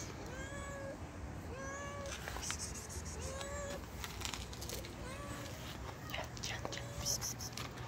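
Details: Sweet, timid street cat fed by hand, giving a run of short, arched meows about one per second, with clicks and rustling of feeding and faint voices behind.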